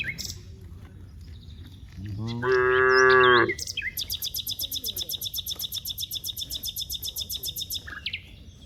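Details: Herd of dozens of cows in an open rice field: one strong, slightly wavering moo lasting over a second, then a bird's rapid, even chirping about four notes per second.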